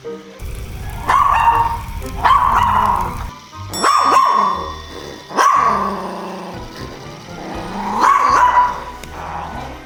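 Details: Maltese dog, a former rescue, runs to his shelter with an item and barks at the camera, still possessively guarding it: sharp, yappy barks, about six in ten seconds, with background music at the start and a low hum.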